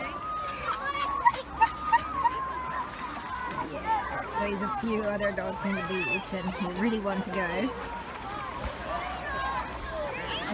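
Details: Yuki, a male Samoyed, at a UK beach on a 31-degree day, excited all day, makes his happy "silly noise", which is not crying. A wavering, moaning whine with rich overtones rises and falls for about four seconds mid-clip, over beach chatter and children's voices.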